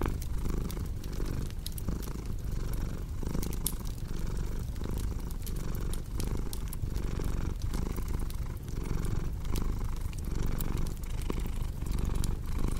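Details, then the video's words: Cat purring contentedly in a small room with a fire burning, continuous low throbbing purr rising and falling with each inhale and exhale, scattered crisp crackling pops from the fireplace. "Purring Cat with Cozy Crackling Fireplace Sound"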